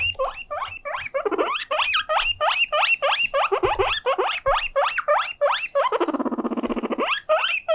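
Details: Guinea pig Mokohei, a pet craving attention, shrieks piercing upward-sweeping wheeks in quick succession, roughly three a second, broken midway by a longer buzzy, vibrating squeal before the whistles resume.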